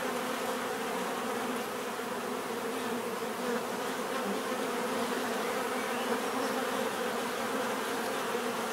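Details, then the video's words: Many bees droning together, a rich steady buzz with slightly wavering layered hums, loudness flat and unbroken from start to end. "bees therapy relaxing natural buzzing sound"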